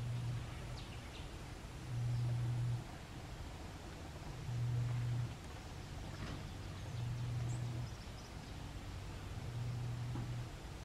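Mantled howler monkeys give deep, droning roars in bursts of about a second, repeating every few seconds.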